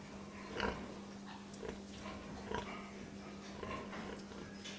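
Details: Pig uttering a few short, throaty grunts spaced irregularly, a couple standing out louder, over a steady droning hum.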